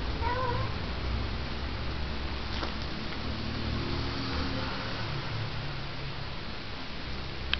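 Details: A cat snuggling with a backpack gives one short, faint meow right at the start. A steady low hum runs through the whole recording, with a few soft clicks later on.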